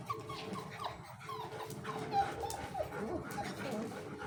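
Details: Young Golden Retriever puppies in Dubai whimpering: thin, high, gliding whines that rise and fall in a string of short cries, set against continuous low background noise.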